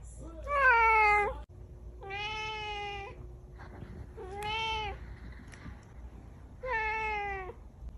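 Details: Cat in a room producing four long, rich meows about two seconds apart, each a sustained whining tone with a slight bend at the end, over a steady low hum.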